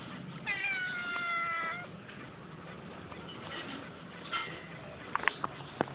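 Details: Domestic cats, a mother and her son: one long, clear, slightly falling harmonic meow lasting over a second, a shorter faint meow a few seconds later, then scattered clicks and taps near the end.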